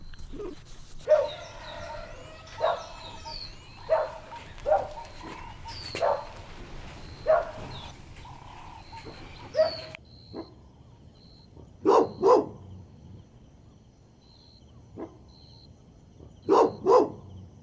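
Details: Golden Retriever puppies playing outdoors on a green lawn: scattered short barks, sometimes in quick pairs, a few seconds apart over a steady low background rumble.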